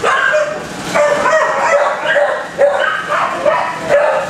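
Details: Repeated high barks from multiple dogs housed in kennels, arriving roughly twice a second in uneven overlapping volleys against a continuous background of more barking.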